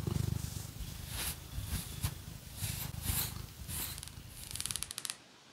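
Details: Phoenix, a pet cat, purring while being scratched with fake nails: a low, steady rumbling purr, strongest in the first second, overlaid by bursts of crisp scratching strokes and ending with a rapid fluttering scratch.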